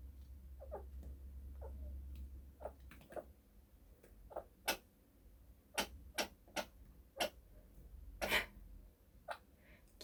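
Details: Pet chinchilla indoors at home in the morning, suddenly hiccuping while its owner was cleaning: a string of short, sharp hic sounds at uneven intervals, more than a dozen over ten seconds, with a low room hum early on.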